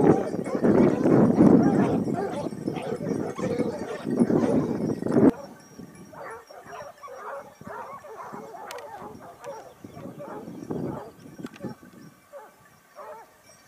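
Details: Hunting pack of Basset Hounds, Topsfield Lebrera, Spain, second season 2015-16: a loud massed chorus of barking for about five seconds, then it drops abruptly to fainter, scattered bays from the hounds further off.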